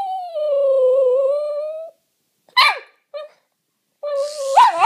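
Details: Excited Jack Russell Terrier reacting to a toy helicopter indoors gives a long, steady, high whining howl lasting nearly two seconds, then brief yips and a rising, strained whine.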